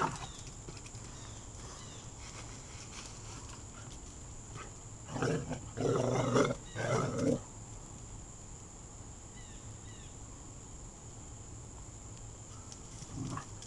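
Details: Two pet dogs playing indoors, a 4-month-old Weimaraner named Alex and Anna, a 3-year-old Rottweiler/Chow mix: mostly quiet, then a burst of rough growling and grumbling around the middle, with a brief growl near the end.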